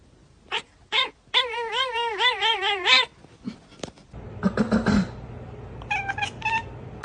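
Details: Pet cat imitating its owner's sounds: two brief meows, then a long quavering, warbling yowl of about a second and a half, followed by noisy rustling and a few short high mews.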